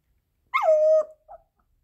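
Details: Pomeranian left at home after its owner goes out, giving a single short wolf-like howl that jumps up sharply, then falls and holds a steady tone before breaking off, followed by a faint brief yelp in a quiet room.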